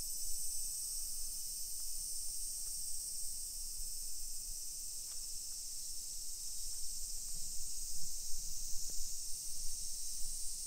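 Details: Cicadas singing in summer along suburban streets of Nisshin, Aichi Prefecture, Japan, 1 PM, 28 July 2021; an unbroken shrill buzzing drone fills the background, with faint scattered clicks and low footstep rumble from walking.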